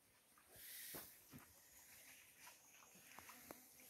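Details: White-lipped peccaries (Tayassu pecari) at a mineral lick give short, sharp grunts and clacks at irregular intervals over a steady hiss.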